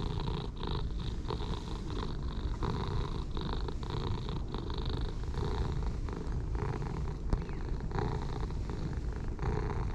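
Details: Contented purr of stray orange tabby cats, a dark and light pair, enjoying being petted; an even, low, vibrating rumble pulsing with each breath, with a brief sharp click near the end.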